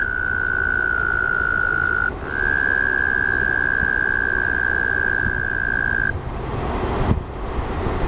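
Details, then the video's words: Pond frogs in a thick, grainy chorus; a long level high trill runs for about six seconds with a brief break near the two-second mark, then fades, leaving the low murmuring chorus. "frog pond"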